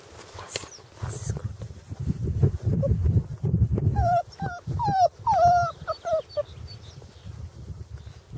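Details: Five-week-old Hungarian Vizsla puppies during early hunting imprinting give a run of high, wavering whines, rising then falling, clustered in the middle of the recording. Low rumbling handling noise and some voices come first.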